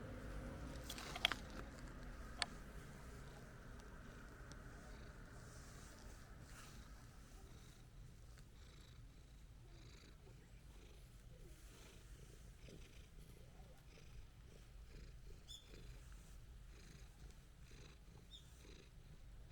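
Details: Placid orange-and-white stray cat purring while being stroked outdoors on a walk. The low, steady, rumbling purr continues throughout, with a couple of sharp clicks early on.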